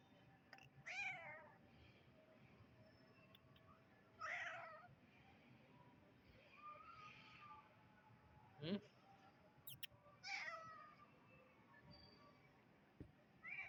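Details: Young kitten repeating short, bright meows at irregular intervals, roughly five calls, some faint and some stronger, with occasional clicks and tapping between them.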